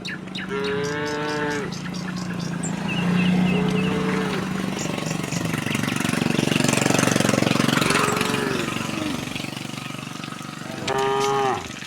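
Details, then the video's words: Tame cattle herded along from the next village to their pen give short moos at the start and a brief one at the end, while a loud engine rumble fills the middle. "kerumunan sapi lembu jinak berjalan dari kampung sebelah menuju kandang, suara sapi moo"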